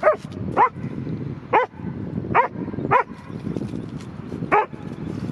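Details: Dog outdoors at a park, worked up after seeing a squirrel, gives six loud barks with irregular gaps, some close together and one after a longer pause, over low background noise.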